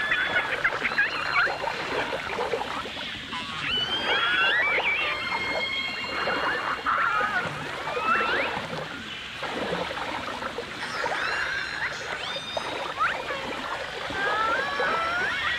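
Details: Underwater chorus of dolphins and orcas from a 1989 stereo recording: swooping, chirping whistles and brief upsweeps come in bursts, some clustered and tumbling, others held longer, over a dense crackle of clicks.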